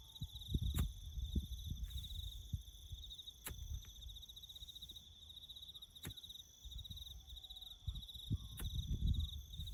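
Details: Crickets trill steadily in a high, continuous chorus in the bush during farm road-building work, over low rumbling noise and occasional sharp knocks.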